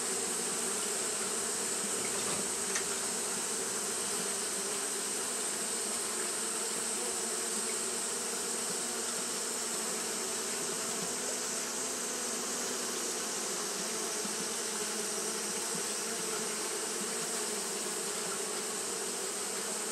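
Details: Japanese honey bees fanning steadily on a hot day, a dense continuous hum with a low band near the bottom and a bright hiss high above, unbroken and even throughout.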